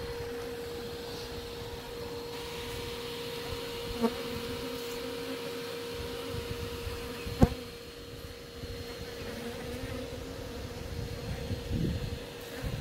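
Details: Thousands of honey bees from a colony that had blocked an old cottage chimney with comb in a Shropshire village, England, being removed live; steady low hum with a constant tone and occasional knocks and clicks.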